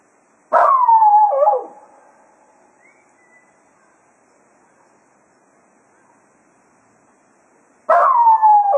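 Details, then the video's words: After a day of foxhunting at Quail Roost, Cato the Jack Russell Terrier howls to the departing hounds: one falling howl with a quick dip, a long quiet stretch, then another howl beginning at the end. "Cato Serenading the Hounds after a Day of Hunting at Quail Roost"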